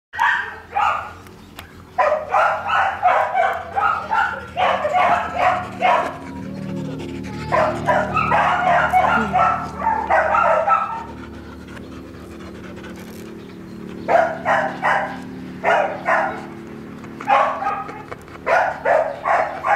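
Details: Seven-month-old female Flat-Coated Retriever puppy, described as calm and gentle, barking in quick runs of sharp repeated barks. The runs are separated by brief quiet pauses.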